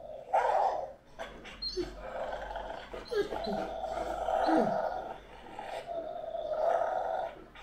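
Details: Great Dane named Anúbis giving long, sustained howling tones mixed with short growly barks, the drawn-out notes holding steady for a second or more before fading.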